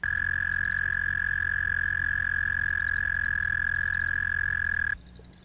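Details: Canadian toad, played as a recording, giving a long, loud, monotone trill: a single unbroken, high, steady buzzing tone held for about five seconds before stopping abruptly.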